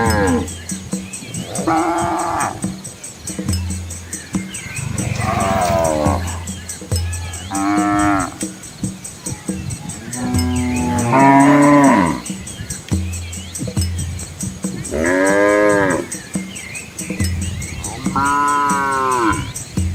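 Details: Herd of village cows with young calves following their mothers along a country road through rice fields in Asia, giving about six separate moos, some short and arched, others bending up and down, with low rumble and a faint high drone behind.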